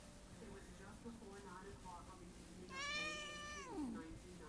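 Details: A pet female cat, said to hiss and growl as her way of showing love, gives one loud, drawn-out, harmonic, wavering cry that falls at the end, after quiet indoor murmuring. An owner speaks softly before and after.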